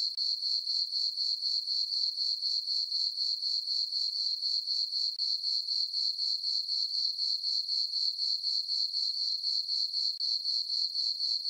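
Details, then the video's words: Night-time cricket chirping from a farm meadow under dark skies and a full moon in summer. The sound is a bright, high, buzzing trill beating steadily around four times a second, with nothing else heard. "Cricket chirping sounds for sleeping"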